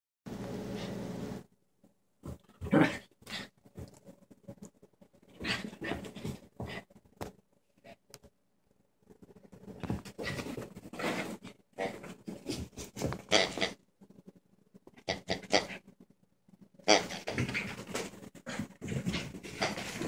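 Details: Two rescue dogs playing together, Patchy, a black Rat Terrier/Maltese mix (Ratese), and Casey, a Yorkie-Pom, inside: bursts of rough growling and scuffling play noises come in uneven clusters, separated by brief silent pauses.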